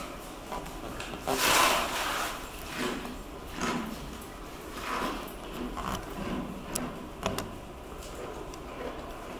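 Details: Momotaro the gorilla at Kyoto City Zoo eating donated cabbage after finishing his favourite pumpkin, late April 2022; loud crunching bites in broad bursts, the strongest near the start, then softer munching every second or so in a small indoor space.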